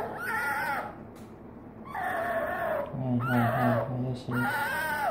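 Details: Hesoten, a pet fennec fox girl, sweet-talks her owner with strained, nasal, wavering cries in three or four drawn-out bursts, overlapped midway by a man's low, rhythmic repeated answering voice.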